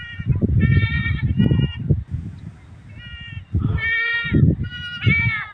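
Goats bleating in quavering, nasal bursts, some higher and thinner like a young kid's, over low rumbling noise.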